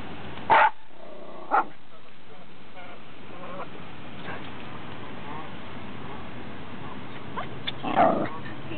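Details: A Schipperke gives a few sharp, single barks spaced well apart at a goose while people fish, with quiet background murmur between.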